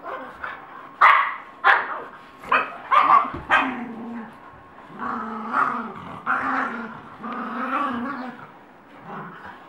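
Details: Dogs fighting in Colorado, loud harsh barks and snarls in quick bursts during the first four seconds, then longer rising-and-falling growling howls, voices overlapping throughout.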